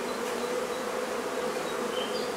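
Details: Dense, even buzzing of many honey bees from a hive being taken out of a barn in La Feria, Texas, on a hot day, a steady hum with no breaks.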